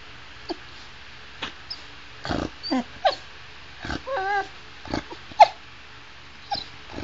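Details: Sugar, a female pet Chow Chow, "talking" to her owner about things she wants to share and do: brief wavering whines and short yelps scattered between quiet gaps, with a person's voice heard now and then.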